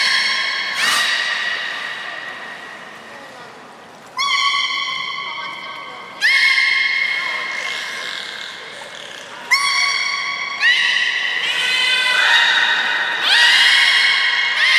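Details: Captive beluga at Port of Nagoya Public Aquarium on 4 November 2018, afternoon 16:00 public training; a run of loud, rich harmonic calls, each starting abruptly, some rising then holding level, about six bursts, with hall echo.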